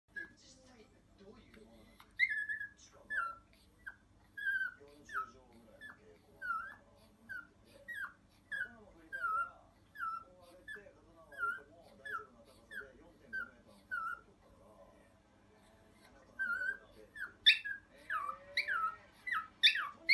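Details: Pet Chihuahua demand crying when a request goes unmet, a string of short high whimpering yelps repeated roughly every half second to second, pausing briefly, then louder bursts near the end, with faint speech.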